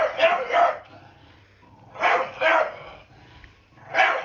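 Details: Blue Staffordshire Bull Terrier, a pet scared of a broom, barks to tell it off: three bursts of loud, harsh barks, the first two doubled, spaced about two seconds apart, with quiet gaps between them.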